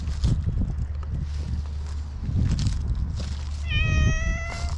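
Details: Stray black cat outdoors gives a single clear, drawn-out meow near the end, level and slightly falling with bright harmonics, after rustling and handling noise over a steady low hum.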